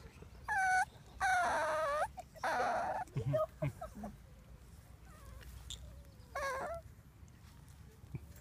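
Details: Cavalier King Charles Spaniel crying at play time, high whining cries with falling pitch, several drawn-out whimpers in the first three seconds and another near six seconds, with a person speaking Spanish in between.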